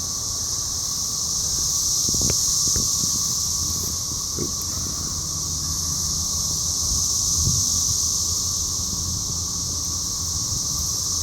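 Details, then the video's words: Cicada chorus in Cape Girardeau, Missouri, captured on a phone on 4 June 2015 at a Rotary meeting; a loud, steady high-pitched whirring wall of sound with a few soft knocks and low rumbling underneath. "Cicadas in Cape Girardeau, MO 6-4-15"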